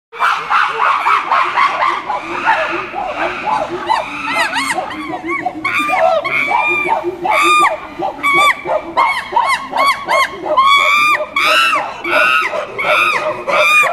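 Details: Chimpanzees screaming: a dense, overlapping chorus of high harmonic shrieks that rise and fall, several voices calling at once in irregular bursts, with a crowd-like din underneath.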